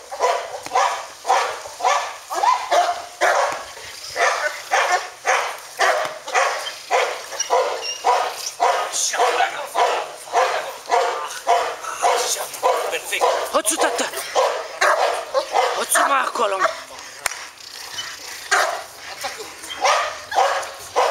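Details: Kennel dog barking in a fast, steady series of sharp barks, roughly two per second, with a man's Romanian commands heard between the barks.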